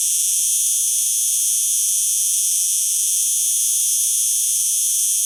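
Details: Cicada singing: a steady, loud, dry buzz that holds high and unbroken for the whole stretch, with no pauses or other sounds.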